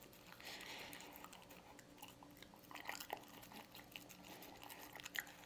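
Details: A pet dog named Lucy eating canned dog food indoors in a small room: steady wet chewing and crunching bites, soft smacking and occasional louder clicks of teeth, no barking or voices.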